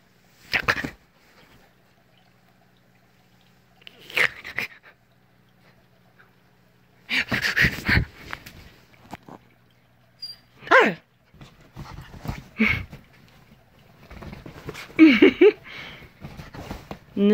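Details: Echo, a Siberian Husky born April 2017 to a purebred husky mother and Alaskan Grey Wolf father, vocalizing indoors at 5:30am in a house mid-move: scattered short whining, howling bursts with gaps of silence, mixed with human voices.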